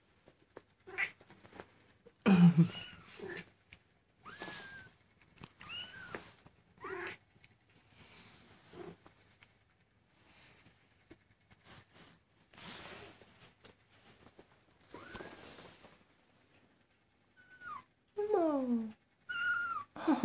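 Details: A 19-day-old Maine Coon kitten gives high, thin mews, some rising and falling, between quiet pauses.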